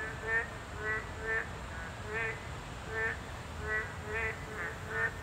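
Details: Boreal digging frogs, a Class II protected species, call at a habitat site, giving short, nasal, duck-like calls repeated about every half second to second.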